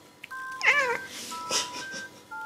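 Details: Pet cat clinging to its owner and begging for a favourite toy after being brushed, giving one short wavering meow that rises then falls, over steady electronic beeping tones and light music.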